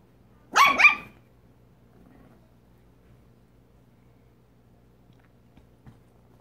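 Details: Italian Greyhound puppy on a weekend visit with a miniature pinscher and chihuahua mix, indoors: one loud, sharp double-pulsed bark near the start, followed by near silence with a few faint soft knocks.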